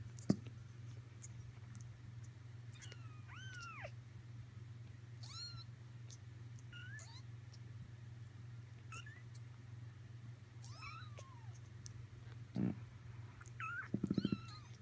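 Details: Persian kittens almost four weeks old, kept indoors, give thin high mews rising then falling, scattered through the recording, over a steady low hum, with a few brief thumps near the end.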